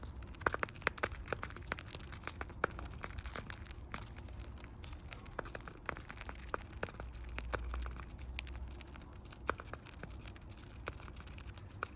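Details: Dry crackling and crinkling clicks over a low indoor rumble, with no clear animal voice. The sharp ticks could be seeds or paper being handled, but no calls stand out.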